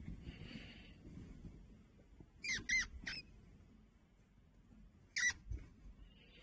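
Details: Pet fancy rat hiding under a blanket in Heilongjiang, China, 16 November 2025, giving tiny sounds each time its owner lifts the covers. A quick cluster of three sharp squeaks is followed by a single squeak about two seconds later, all against quiet room noise.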